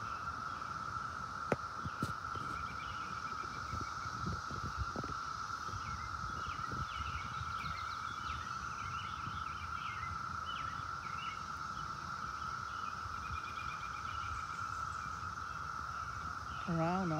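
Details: A whole bunch of cicadas on a tree keep up a continuous, even buzzing drone. Scattered bird chirps and rustling run underneath, and a voice starts at the very end.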